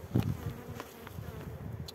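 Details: Western honey bees at the hive in March after the colony has been joined with a new queen; low droning hum throughout, with a few soft knocks of handling at the start.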